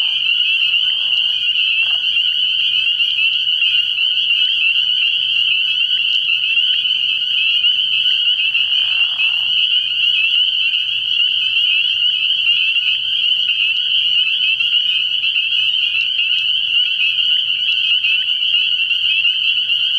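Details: Spring peepers calling at night from a frog pond early in the year: a dense, unbroken chorus of high, shrill peeps merging into a steady ringing band, with a few brief lower sounds near the start and midway.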